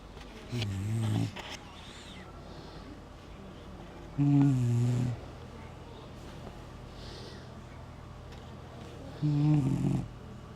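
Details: Sleeping Shar Pei, its cheeks spread over its belly, snoring: three low, droning, harmonic snores about four and a half seconds apart, each lasting under a second, over a quiet room background.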